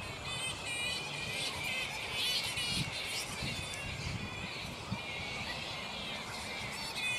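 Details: Mid-morning at a black flying fox roost, the bats still unsettled: a dense chorus of shrill, wavering squeals and chattering screeches, overlapping throughout, with some lower thumps beneath.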